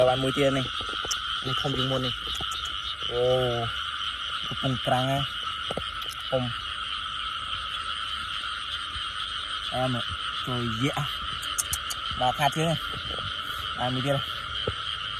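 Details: Frogs at night: deep, nasal croaks with rich harmonics come in short, uneven bursts, some with a wavering tone. A steady, shrill insect chorus fills the background throughout.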